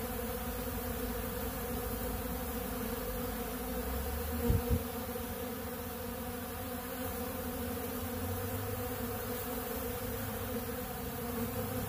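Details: Honeybees swarm over a big blue pollen feeder, eating bee pollen. Their massed wingbeats form a constant, even drone. A couple of short thumps sound about four and a half seconds in.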